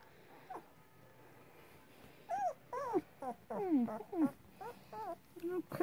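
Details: Two-week-old Rottweiler puppies whimpering and squealing: after a faint squeak near the start, a run of high, falling and wavering whines from about two seconds on, repeated in quick irregular bursts, indoors with low background hum.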